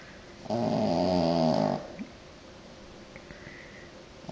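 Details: French Bulldog snoring indoors: one loud, rough, harmonic-rich rasping breath lasting over a second, then quiet room noise with a few faint clicks.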